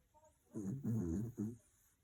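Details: A dog snores loudly in its sleep, giving three quick, low, gravelly rumbles within about a second, then quiet.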